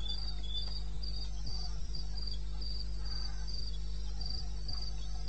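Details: At 2:30 AM in eastern Botswana's wild country, 21 May 16, crickets keep up rapid, high-pitched chirping, pulses grouped in quick runs and repeating without pause, above a continuous deep background hum.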